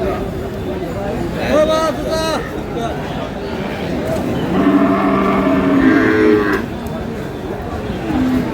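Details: Sahiwal cows with calves at the Aftabganj cattle market in Dinajpur on 11 July 2026, a market day. Two drawn-out, harmonic moos rise above a steady crowd murmur, one short and one longer, with people talking throughout.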